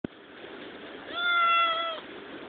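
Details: Hungry kitten giving a single drawn-out, level meow lasting nearly a second, clear and slightly nasal, against faint background hiss.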